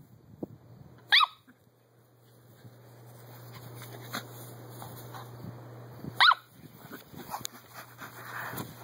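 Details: Two crisp, high-pitched yaps from Miniature Poodle Daisy as she runs around her back yard, spaced about five seconds apart, with a steady low hum and light movement noises in between.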